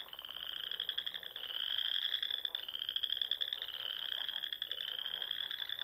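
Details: A dense chorus of frogs trilling continuously in high, pulsing voices at dusk in spring, by small lakes and ponds among the dunes of the Nebraska Sandhills.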